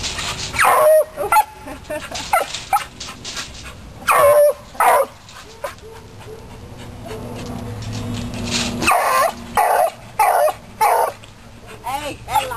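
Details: Beagle named Sport, a rabbit hunting dog, excited by a chipmunk caught in a trap; sharp high yips and barks in bursts, some rising whine-like tones, with quiet pauses between.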